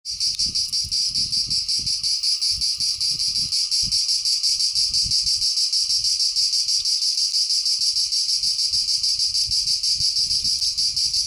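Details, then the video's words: Cicada singing, known in Greek as τζιτζίκι: a loud, dense high buzzing held throughout, finely pulsed at about three beats a second, with soft low thumps and rustling underneath. "cicada / τζιτζίκι / τέττιξ"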